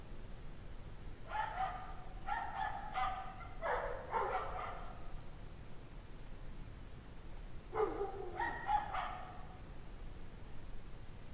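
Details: A pack of dogs barking in the cold, 17 degrees Fahrenheit, January 2009 at 5:00 PM, heard from a distance: a rapid series of yelping barks, a pause of a few seconds, then a second shorter volley.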